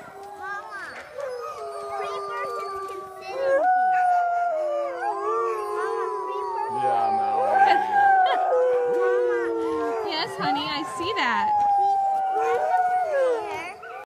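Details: Several dogs left behind cry and howl after the first team departs, sounding like a pack of wolves. Long, wavering, overlapping tonal howls slide up and down in a continuous chorus, with short yelping cries mixed in throughout.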